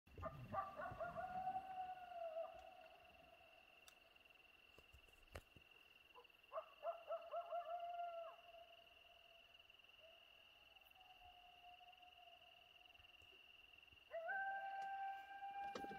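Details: Two coyotes in Hiawatha National Forest, one fairly close behind the listeners, trade bursts of yips and wavering howls, calling back and forth over a steady high whine; heard while out listening for wolves.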